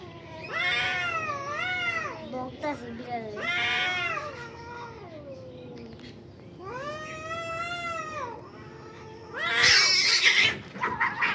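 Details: At a construction building, two fighting cats trade repeated wavering howls, several pitched bends in quick succession, then a long rising-falling wail and a harsh, noisy screech burst near the end, with human voices faintly heard.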